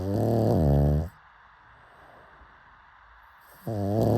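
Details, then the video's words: Sleeping pug snoring: a loud, raspy, low snore lasting about a second, then a quiet pause of over two seconds before the next harsh snore begins. "Why Do People LOVE Pug Snoring So Much?"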